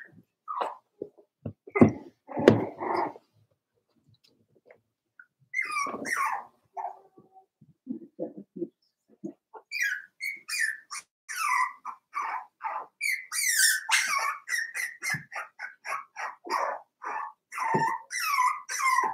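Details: Four-week-old Cavalier King Charles Spaniel puppies from Daisy's litter in their indoor puppy pen give thin, squeaky whimpers and short yips. Scattered cries come first, then a brief lull, then a dense, rapid run of high overlapping yelps to the end.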